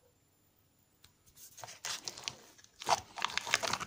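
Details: Crinkling and tearing of a packet in a small room, in bursts of rustle, with no animal voice heard.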